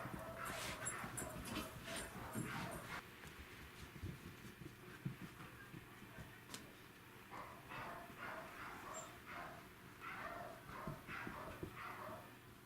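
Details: Welsh Corgi chasing a laser pointer, recorded 28 April 2019: bursts of short, bright yips and barks, several in quick succession in the first three seconds, then softer repeated yelps with low room rumble underneath.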